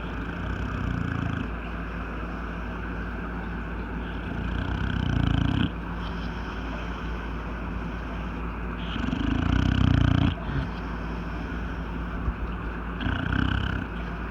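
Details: Snores from an aging male English Bulldog, which snores whether sleeping or awake. Gravelly, low throaty rasps come in three swelling bursts a few seconds apart, with softer breathy stretches and a constant low background drone between them.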